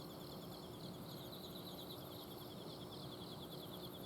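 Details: Autumn insects calling at night in an Azumino home garden, a brief stretch of rapid pulsed high trills layered over one another, backed by the continuous low drone of an outdoor air-conditioning unit.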